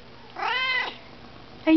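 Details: Siamese cat indoors, meowing back while a person talks to it: one drawn-out, harmonic meow rising then falling over about half a second, and the start of a second call at the end; a man's voice nearby.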